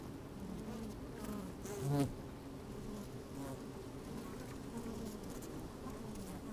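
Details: Inside an open beehive on a sunny day, worker honey bees moving about: continuous droning hum, with one louder buzz swelling briefly near the two-second mark over a little wind noise.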